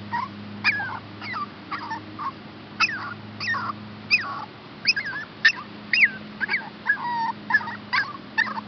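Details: Rescue puppies Olive and Max, a Chihuahua pup and a Shepherd hound pup awaiting adoption, whimpering in high, wavering whines, often bending up or down, about every half second, over a steady low hum.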